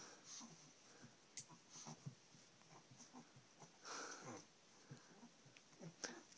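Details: A female pet Chihuahua named Coco humps a stuffed elephant toy indoors, giving quick, wheezy, snuffling breaths in rapid short bursts over a faint steady high hiss, ending with a sharp louder knock.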